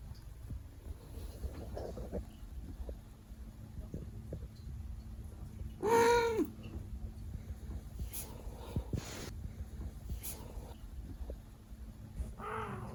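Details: Siberian cat Leo napping after a long workday lets out one short, clear, slightly bent vocal grunt midway through a low background rumble, followed by a few faint breathy rustles.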